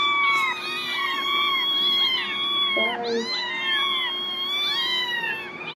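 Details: Several desperate kittens meowing nonstop, a dense chorus of overlapping high, thin meows, each rising then falling in pitch, layered on top of one another with no pauses and a brief lower-pitched cry near the middle.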